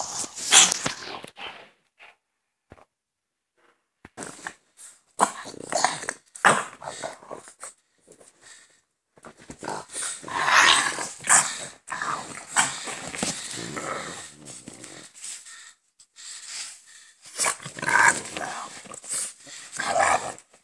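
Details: Two French Bulldogs, a father and his son, make rough snorting grunts and low growls in irregular bursts with short pauses between.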